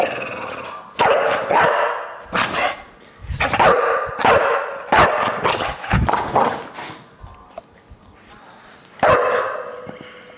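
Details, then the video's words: Bulldog named Deisal, which hates the camera, gives a run of loud, harsh barks in uneven bursts, then falls quieter near the end before one last sharp outburst, indoors and close. "Bulldog - Deisal hates the camera"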